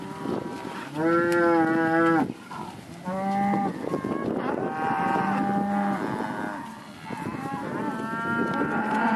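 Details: Angus and Red Angus cattle in a large sale lot mooing: a loud, steady, harmonic low lasting about a second, then further long moos from several cows in overlapping succession.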